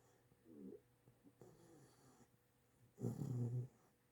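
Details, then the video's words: Eight-week-old chocolate Great Dane puppy, tired after walks around the yard, snoring while asleep and dreaming indoors: a faint low snuffle, then one louder rough, low snore of about half a second. "8 Week Chocolate Great Dane Puppy Snoring and Dreaming."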